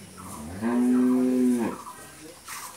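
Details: Pregnant Friesian cow, nine months along and due to calve for the first time, in Bangladesh: a single steady, level moo lasting about one second, with faint background noise.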